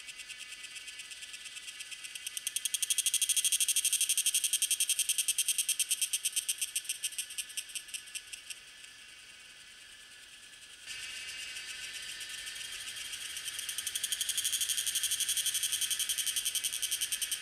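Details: Tanna viridis cicada in Taiwan, May–June, Lianhuachi or Dasyueshan, captured on a Sony A7s3 with Rode VideoMic NTG; shrill pulsed buzzing swells loud, fades and drops away near the middle, then resumes and builds again.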